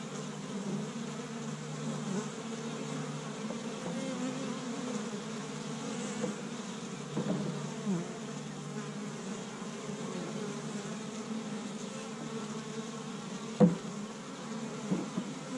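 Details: Established honey bee hive bustling in spring in Michigan, on the first warm day, bees gathering pollen from tree buds; sustained low buzzing chorus throughout, with occasional clicks and one loud knock late on.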